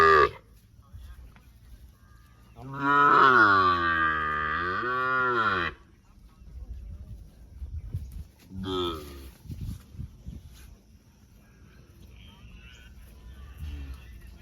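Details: Sahiwal bull calling at a cattle market in Birampur, Dinajpur, Bangladesh, on 24 June: one long loud moo of about three seconds, starting low and bending upward then down, with a brief second call near nine seconds and crowd murmur throughout.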